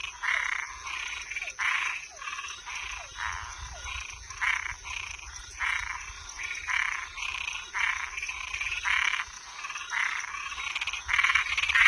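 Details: Toads and tree frogs chorusing after dark: loud, buzzy, rasping calls follow one another rapidly with no pause. Quick downward-swooping chirps appear early on, and a faint high whine hangs in the background.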